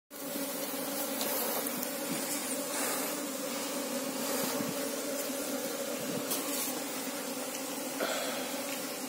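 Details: Asian honey bees (Apis cerana) while the colony is searched for its queen: a steady, even droning hum with a low fundamental and a strong overtone, holding unbroken for nine seconds with faint soft rustles.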